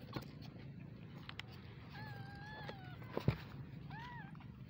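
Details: Baby kittens meowing: two or three thin, rising-falling mews around the middle and end, each about a second long, over a low steady background hum with a few soft clicks and knocks.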